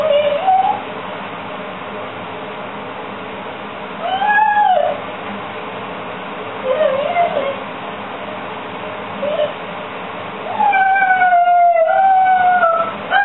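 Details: Beagle named Kallie screaming alone at home roughly two minutes after the owner left, captured by delayed recording; short rising-and-falling wails come at intervals, ending in a sustained wailing howl of about two seconds against constant background hiss.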